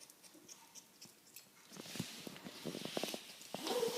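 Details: Two-year-old female ferret making a strange noise while eating, possibly grinding her teeth; dry, irregular clicking and crunching bursts that grow louder and denser in the second half, heard indoors in a small room.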